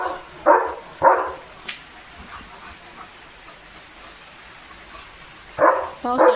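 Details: German Shepherd Leo, frolicking with a water mug in his mouth, gives two quick gruff barks, falls silent amid soft background hiss for several seconds, then resumes with a pair of barks and a short whine.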